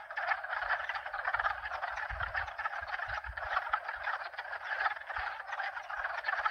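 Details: Steady chorus of croaking frogs from two or more species, dense overlapping trills throughout, with a brief low rumble of wind near the middle.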